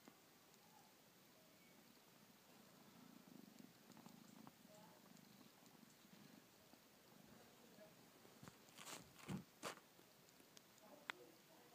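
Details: Kittens playing indoors: a soft, low rumbling purr pulses steadily through the first half, then gives way to sharp knocks and clicks of play with brief rustling.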